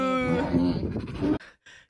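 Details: Tiger imitating a cow's moo, mimicking prey sounds: a single low, drawn-out harmonic moo lasting over a second, then a brief quiet tail of room noise.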